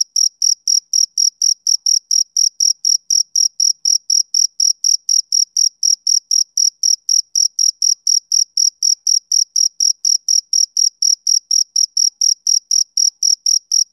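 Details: Steady chirping of a male cricket on a summer evening, high-pitched pulses about three per second in an unbroken rhythmic series, evenly loud throughout, nothing else audible behind it.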